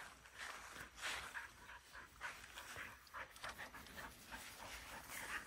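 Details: Border Collie named Bly, a dog prone to excitement-triggered seizures, in the afternoon, seeming calmer than in the morning; quick breathy panting bursts, rough and uneven, carried on with faint background noise.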